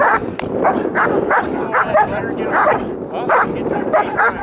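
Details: German Shepherd working a bite wedge during bite training, barking almost nonstop in harsh, overlapping bursts, roughly one and a half per second, with a trainer's voice audible underneath.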